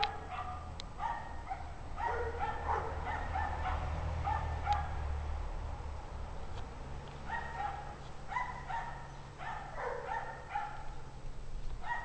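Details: Unhappy pack dogs bark steadily on a freezing January 2009 evening, 17 degrees Fahrenheit, around 5 PM, for an unknown reason. Barks are rough and repeated about three per second, nearly continuous, over a low rumbling hum.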